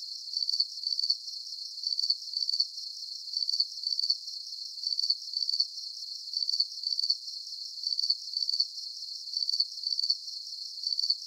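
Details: High-pitched cricket chirping meant for relaxation: rapid pulsed trills grouped in twos and threes, repeating at a regular pace over an otherwise empty background.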